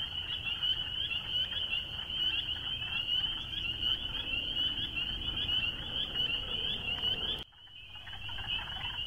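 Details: Spring peepers calling en masse, a continuous piercing high peeping that dips abruptly near the end before the chorus returns, over a faint low hum.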